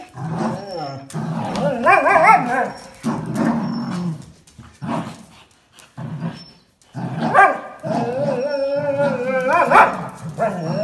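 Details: Jack Russell Terrier and black-and-white and red-and-white Border Collies fight playfully for a towel; repeated throaty growls and wavering whines come in loud bursts with brief gaps between them.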